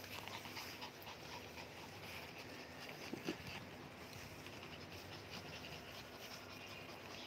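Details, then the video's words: Dogs, mini Dobermans and Shih Tzus, in a commotion together indoors; steady rapid breathy panting runs throughout, with a brief soft whimper-like sound around the middle and a faint room hiss underneath. "Nagkagulo Ang Mga mini doberman at ang mga Shihtzu"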